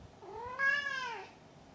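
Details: Maru the cat gives a single drawn-out meow lasting about a second, rising in pitch and then sliding down, with rich clear harmonics and a quiet room behind.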